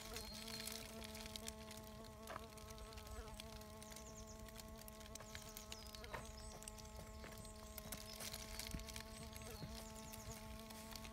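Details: Bee fly (Bombylius major) probing sand, giving a steady, low droning hum with a stack of even overtones held through the whole stretch, with faint scratchy crackles and brief clicks in the background.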